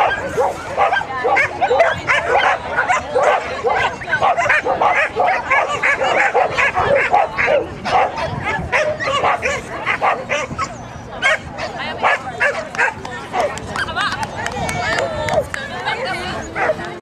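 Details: Border Collie competing in Graded 1-4 agility jumping at Newark Showground, Border Collie Club of GB, 21 March 2010; dense, near-continuous excited barking with yips throughout, plus background voices and showground bustle.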